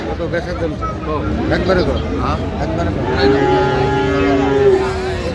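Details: At Aftabganj cattle market on 30 December 2025, a Friesian or crossbred bull calf lets out one long, level moo in the second half, with people talking and faint vehicle noise behind.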